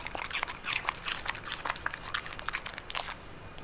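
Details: Dog eating bitter melon indoors, recorded close up for ASMR: crisp, wet crunching and biting bursts, irregular, roughly two to three per second, with no other sounds.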